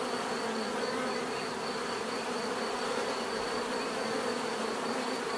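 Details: Steady humming of bees in nature, offered as relaxing bee therapy; layered drone with wavering wingbeat pitches and a constant faint high tone, uninterrupted for the whole stretch.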